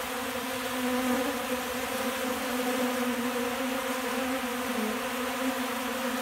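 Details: A crowd of hungry honey bees feeding from a hand in late December warmth: a continuous low hum that wavers slightly in pitch, loudest in the middle seconds.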